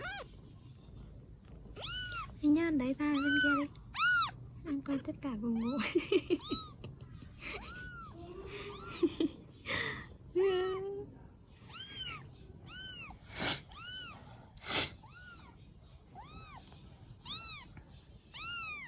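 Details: Baby kittens rescued in Vietnam meow almost continuously, dozens of short arched cries tumbling over one another, while a lower human voice murmurs in between during the first half.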